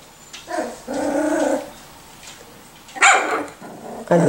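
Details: Miniature Schnauzer puppies aged 4 and 6 weeks give a brief growl, a sustained rough growl, then a sharp bark and a final yip.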